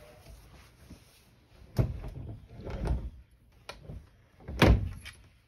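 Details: Indoors, a sliding door rattles and bangs several times, with a sharp slam near the end.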